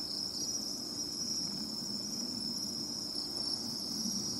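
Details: Bell crickets heard by the sea while searching for them by ear: a continuous, even high-pitched ringing trill over a low rumbling background noise.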